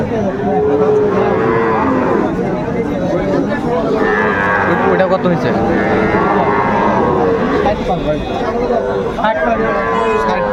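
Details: Moos of Sahiwal bull calves at a Bangladeshi livestock market, 2 August 2024, with a buyer from Kushtia; several long, bellowing lows with wavering harmonics repeat across the clip beneath constant human talk and market bustle.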